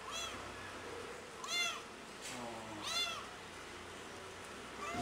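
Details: Loud meows from Pretty, a cat calling out for its missing mother. Three strong arched cries come about every one and a half seconds, with a fourth starting at the end, over a steady low background hum.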